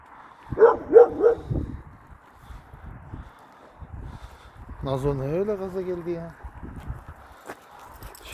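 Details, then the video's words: Kangal Nazo barking at a strange dog in the neighbourhood: three rapid barks open, followed by a sustained voiced sound and scattered thumps and movement noise. "KANGAL NAZO'NUN YABANCI KÖPEĞE TEPKİSİ"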